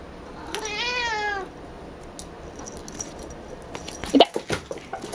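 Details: Picchi, a female cat who talks a lot when she sees her hair ball, gives a single wavering meow near the start. Scuffling and thumping from her play follow.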